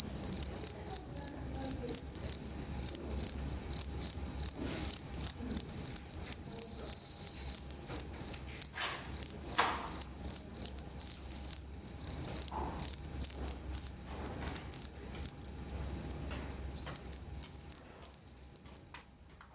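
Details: Two-spotted crickets at a zoo, recorded 29 September 2015, giving two different types of calls: a steady high pulsed chirping in rapid bursts, with brief intermittent pauses and faint background knocks.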